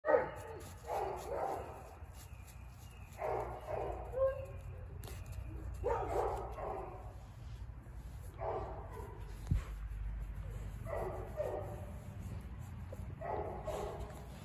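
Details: Boxer/Mastiff mix dog giving a run of short, harsh barks in bursts every one to two seconds, some bursts doubled, over a steady low hum and faint background noise.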